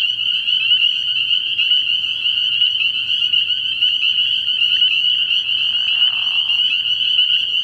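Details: Night chorus of spring peepers from a frog pond early in the year; high whistled peeps pile up into a constant bright trill, and a brief lower, grainy call rises near the end.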